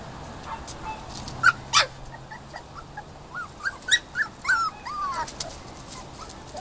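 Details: Puppies almost six weeks old playing in a pen on a backyard patio give high whimpers and yips, short rising and falling whines, several in quick succession, over steady low background noise.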